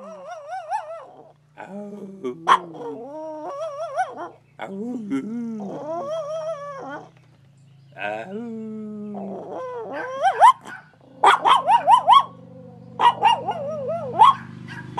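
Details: Dog howling in a series of wavering, wobbly tonal cries separated by short pauses, mixed with sharp yips and clicks that grow more frequent toward the end; a faint steady low hum runs underneath.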